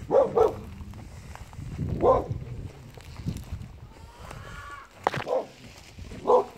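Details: Neighbour's dog barking in Dumbleyung, Western Australia: short, sharp single and double barks spaced a second or more apart amid outdoor background noise and rustling.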